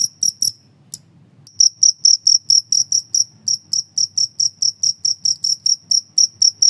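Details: Shrill cricket chirps, recorded for songbird training and as a mouse repellent, open with a few quick pulses, fall silent for about a second, then continue in a steady stream of evenly spaced, piercing clicks.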